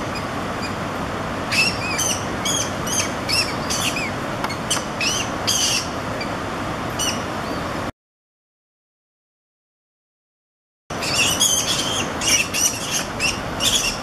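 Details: Two American mink (Neovison vison) playing or fighting on semi-flooded banks of the Haw River, October 10, give quick, high squeaky chirps and squeals in bursts over steady rushing background noise.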